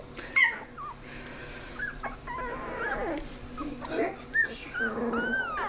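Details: Sixteen-day-old Australian Shepherd puppies in a litter, a feisty male among them, give several thin, wavering whines and squeaks that rise and fall, overlapping one another, with soft human voices and handling noise in the background.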